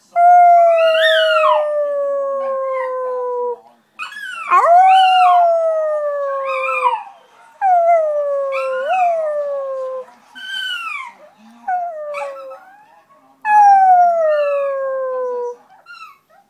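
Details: A dog howls like a little wolf in a run of about six mournful howls. Each slides downward in pitch, the first ones long and full and the later ones shorter, with brief pauses between them.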